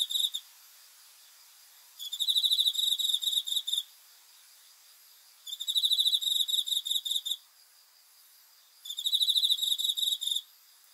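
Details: Nocturnal cricket song from a sleep-sound recording made on 5 August 2020: three evenly spaced bursts of fast, shrill pulsed chirping, each about two seconds long, with calm pauses between.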